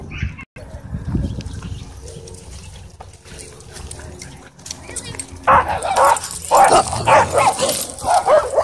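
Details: Dogs at a dog park during a scuffle where an aggressive husky pins another dog; low murmuring and scuffling give way after five seconds to loud, overlapping barks and yelps.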